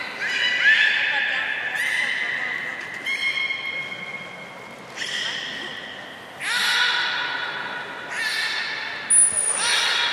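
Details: Three captive belugas in training after the 16:00 public training session at Port of Nagoya Aquarium, Japan, on 1 January 2019: bursts of nasal, harmonic-rich squealing tones, some held steady, some sliding, separated by short gaps, ending with a thin high whistle.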